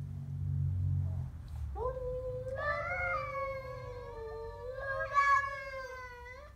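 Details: Siamese cat growling at a stray cat: low background rumble at first, then a rising, drawn-out moaning yowl that swells louder partway through and keeps going to the end.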